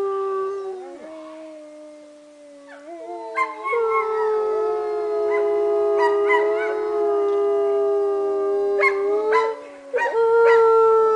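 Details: At Northern Lights Wolf Center in Golden, British Columbia, Canada, a lone wolf howl steps downward, then after three seconds more wolves join in a dense, sustained chorus, ending on a rising note, with occasional clicks.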